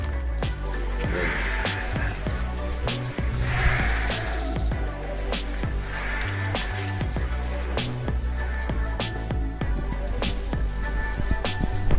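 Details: Loud music with heavy bass beats and percussive hits, plus faint talk and vehicle noise, accompanying a 1.2-ton cow being shipped from Java to Lembang, Bandung; no cattle sounds are heard.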